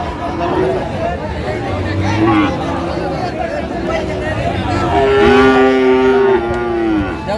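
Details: Friesian and crossbred heifer calves at Raniganj cattle market, Dinajpur, on 9 February 2025: a long harmonic moo holds steady for over a second near the end, with a fainter lowing earlier, over a constant murmur of crowd and voices.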